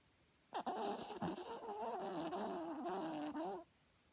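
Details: Herbie, a small dog, snoring loudly while asleep at night: one drawn-out, wavering nasal tone lasting about three seconds, with a slightly buzzy edge, in a quiet room.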